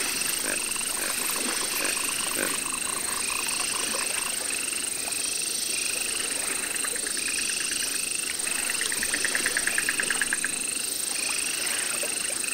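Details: Baron's mantella kept at the Parc Zoologique de Paris, September 2014, a Madagascar frog; many short bursts of rapid clicks at two pitches, some series lower and some higher, several callers overlapping, over constant background hiss and hum.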